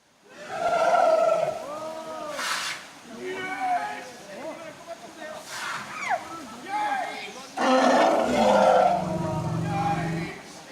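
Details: Two elephants in a river trumpet and squeal in overlapping, wavering blasts, moving about vigorously, apparently distressed by a drone hovering above them, which a proprietor said elephants mistake for a swarm of hornets or wasps.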